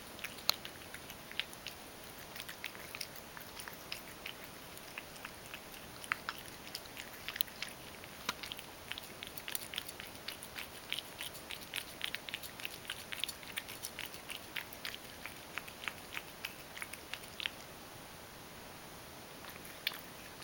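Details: Ragdoll cat eating crushed dry food softened with hot water, indoors: rapid irregular crunching and clicking chews throughout, with small smacking sounds and no vocal calls.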